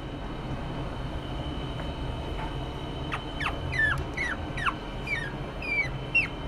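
A Chihuahua puppy gives a run of thin, high whimpers, each sliding quickly downward.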